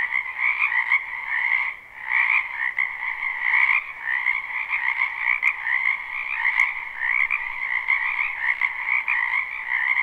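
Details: Many frogs calling together in a spring wetland, recorded live without looping; continuous overlapping croaks and trills make a constant mid-high drone, dipping briefly near the two-second mark, with faint clicks.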